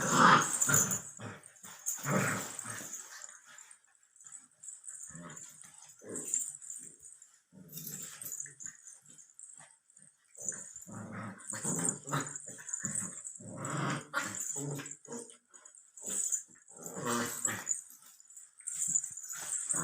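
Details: A Labrador Retriever puppy aged 64 days makes a long run of short, rough, throaty growls and huffs in irregular bursts, about two a second, with brief pauses and faint room noise.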